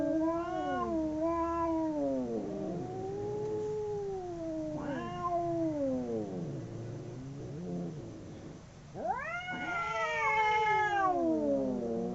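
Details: A pair of domestic cats howling while fighting: long undulating yowls rising and falling in pitch, overlapping voices trading moaning cries, ending in a loud, strained rising wail that slowly sinks.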